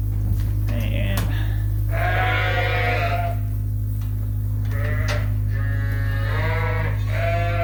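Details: Barn-kept Suffolk lambs at Ewetopia Farms, groups mixed after an open gate, give several short bleats spaced a second or two apart, with a steady low hum and some background noise.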